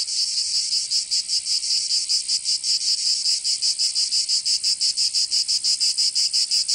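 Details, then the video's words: Provençal cicadas singing in the southern French summer: an intense metallic high buzz pulsing rapidly and rhythmically, nearly three beats a second, steady from start to end. "Canto Cigarra 🦗 [ Escuchar les cigarras en verano 10 H]"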